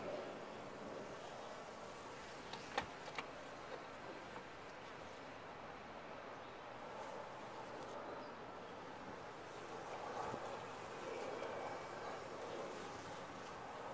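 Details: Continuous droning of honey bees inside a top-bar hive. A few brief clicks and knocks break the hum near the start, and the buzzing grows a little louder after ten seconds.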